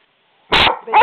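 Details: A single loud, harsh bark comes from Skooter, a pet dog answering back when his owner scolds him, then another sound starts up.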